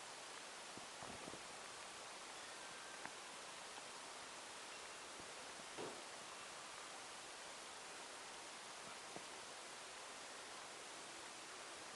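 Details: A quiet garden on a sunny day: steady faint hiss with soft rustling and a few light taps, and no animal voice.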